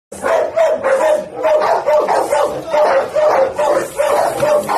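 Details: A white Pit Bull, described as very fierce, barks steadily, loud hoarse full-throated woofs each a short harsh burst, about one per second with little pause between them.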